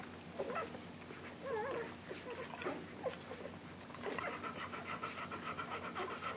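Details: English Golden Retriever puppies just under one week old, nursing, give thin, wavering squeaks and whimpers over soft panting and a low hum.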